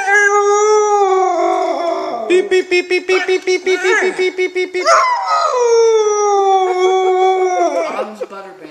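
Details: Siberian Husky puppy howling at a "beep" sound: one sustained, steady howl, then a fast pulsing stretch of short yodel-like notes, then another long howl that dips and fades.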